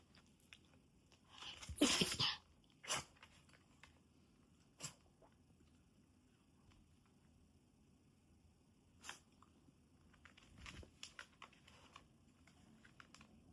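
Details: Mame Shiba Inu lying asleep on a person's legs indoors gives a sudden sharp, noisy sneeze burst near two seconds, followed by a few short snorts and sniffs, then quiet breathing and faint rustling.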